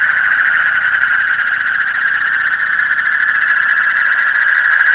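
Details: Deep-night frog chorus, a continuous buzzy trill of many overlapping callers, rapidly pulsing at a steady mid pitch without pause, slightly rough in texture throughout.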